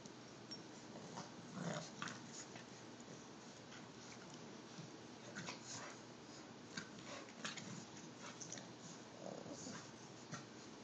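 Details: During a tug over a stuffed bear, an Olde English Bulldogge and an English Bulldog puppy named Lola and Rico rumble with soft, continuous growling, broken by faint clicks and rustling from their play.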